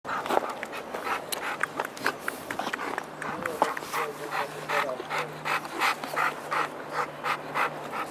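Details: Margot, a schnauzer, pants in quick uneven breaths, about three per second, as a soft whimpering tone rises in places. A person talks in the background and a low steady hum runs underneath.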